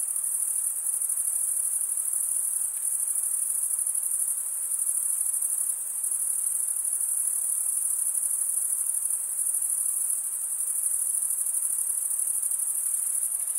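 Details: A chorus of stridulating crickets, the males rubbing serrated wing veins. It forms an unbroken, very high, ringing trill with subtle pulsing that swells and eases slightly over the span, above faint broadband hiss.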